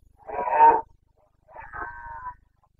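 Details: Red deer stag of the Carpathians during the Bucovina rut, 29 September 2022: a harsh, coarse bellow followed by a longer, steadier and more tonal moaning call, each under a second, then quiet.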